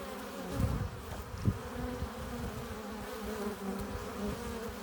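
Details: Hive-entrance honey bees, foragers bringing in pollen and nectar, give a steady droning buzz; two brief louder swells early on mark bees passing near, then the hum settles into an even murmur.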